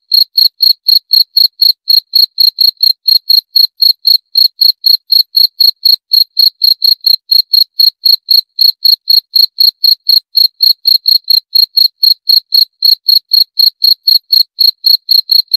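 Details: Cricket chirping in a steady, clean pulse: short, shrill, high chirps repeated about four times a second without a break, in silence otherwise.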